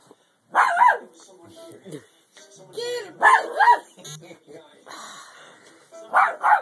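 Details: A normally peaceful Shih Tzu, urged on by a person, gives sharp, yappy barks at a cat in short bursts a few seconds apart, with a person talking in between.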